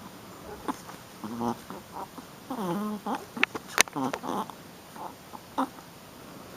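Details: Female Shih Tzu puppy getting rough in play, giving harmonic whiny growls and squeaks that rise and fall, several bursts close together, a sharp click, and a person talking in between.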